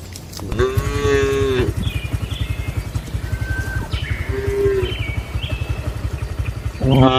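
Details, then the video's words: Cattle in a traditional shed at night give a full harmonic moo, a shorter low moo, and the start of another. A steady low throbbing rumble, like an engine, runs underneath throughout. "Suara Malam di Kandang Sapi Lembu"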